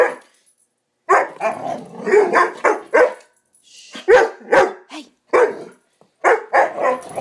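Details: Young Swiss Mountain Dog, Bower, in a wild 'bad dog run' as a pup: a string of hoarse, growling barks follows a second of quiet, in irregular clusters with short pauses between.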